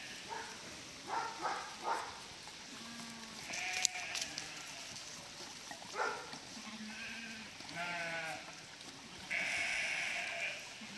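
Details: Sheep in a flock of roughly 1000, herded across a river by a border collie; a chorus of tremulous bleats at varied pitches, a few deep and several higher, comes in bursts with a sharp click and steady noise behind.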